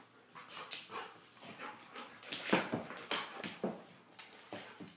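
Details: Shai and Finn, a pair of Golden Retrievers at play, produce short gruff grunts and growl-like bursts, including one sharper vocal snap around the middle, spaced unevenly among breathy scuffles.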